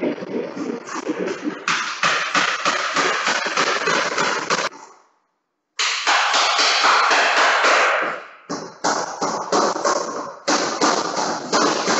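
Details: Rhythmic music with rapid percussive beats and dense instrumental layers, broken by a brief full silence near five seconds before the beat resumes.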